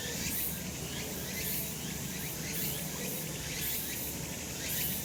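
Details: Sunlit summer mountainside full of cicadas, their high, hissing drone running without a break and surging in waves about once a second, over a low, constant outdoor murmur.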